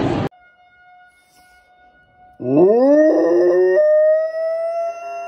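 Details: Golden retriever giving a smooth howl that sweeps upward and then holds a long, steady, harmonic-rich tone. A short burst and a faint sustained tone come before it.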